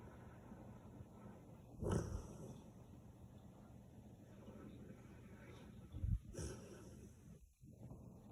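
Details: Sleeping Samoyed dog snoring: two loud, low, rasping snorts about four seconds apart, each rising sharply then fading, with quiet steady room hum between breaths.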